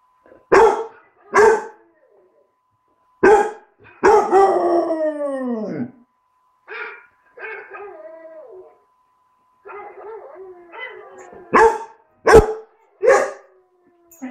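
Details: Bruce the young tricolour basset hound, aged four months and still learning to howl, gives several short sharp barks, a falling two-second howl, then softer warbling whines before more barks.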